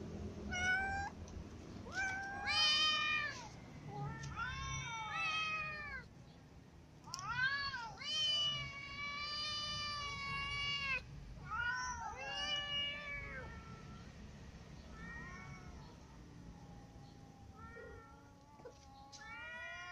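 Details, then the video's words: Ginger cat and a new white cat that clawed it during a meal; a run of bent, rising-falling meows and yowls, loud early then fading to softer, sparser cries toward the end. "Ginger cat is clawed by the new white cat so it eats while lying down"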